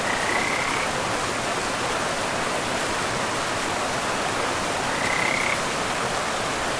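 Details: Forest river with frogs: two short high calls, each rising slightly at the end, spaced about five seconds apart over a continuous hiss of running water.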